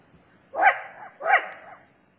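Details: A wild Asian badger (Meles leucurus), filmed for a Korean series on endangered mammals, possibly in Jirisan, gives two short, harsh, bark-like calls about three-quarters of a second apart.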